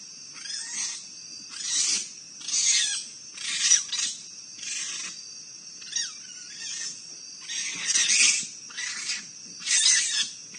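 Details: Raccoons fighting in Akron, Ohio, trade harsh, raspy, hissing screeches and snarls in high-pitched bursts under a second long, repeated again and again with short pauses between them.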